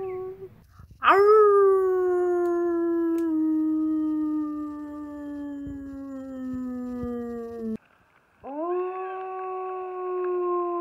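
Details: Wolf at the International Wolf Center howling: a sharp upward sweep into a long, steady tone that slides slowly lower for about seven seconds, then a brief pause before a second howl rises and holds level; faint low hum beneath.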